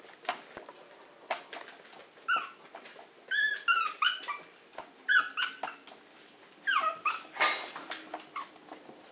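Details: Maltese dog indoors whimpering to be let out right away: short bursts of high, wavering whines and yelps, about a dozen across nine seconds, with soft clicks and rustling in a small room.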